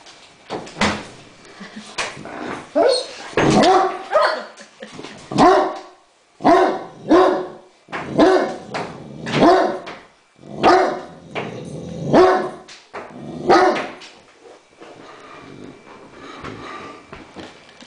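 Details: Thor, a Great Dane, barks at a remote control helicopter that need not even be flying. Loud, deep barks come in uneven bursts, about twenty a minute, with short gaps and a quiet stretch at the end.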